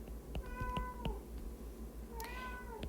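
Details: Domestic cat meowing indoors in a small room during a spoken math lesson: two drawn-out, slightly falling tonal meows, the second rising then sliding down, among soft clicks and low room hum.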